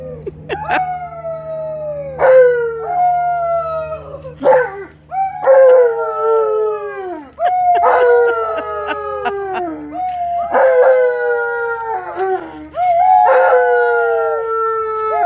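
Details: Alaskan Malamute Tonka howling with visiting nieces, nephews and a neighbor, who are counted in to howl along. Drawn-out falling howls repeat every couple of seconds in overlapping bursts, with sharp high yips between them.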